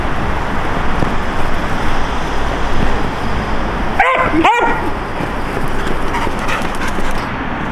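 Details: Border Collie, a pet dog dressed in a hanbok and fed Lunar New Year holiday dishes: two short, sharp high yips in quick succession partway through, over constant loud broadband background noise.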